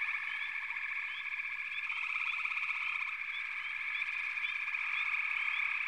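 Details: Frog chorus of continuous trilling from many callers, with short sharp chirping notes scattered over the top.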